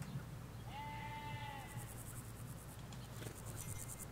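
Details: Sheep bleat from a field of ewes and lambs in the Hampshire countryside, recorded with stereo microphones by a hedge: a single steady, tonal bleat lasting about a second, then faint rhythmic insect pulses over low rural background rumble.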